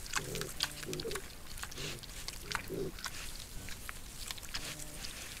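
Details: A wild boar sow with piglets in a Sologne forest, France, recorded by a trail camera: short low grunts every second or so over steady rustling.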